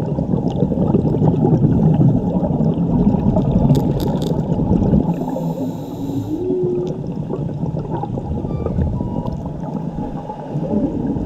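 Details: Whale song from a mother and her calf, recorded while diving off Mexico: low moaning tones and brief rising sweeps over a dense, rumbling underwater background.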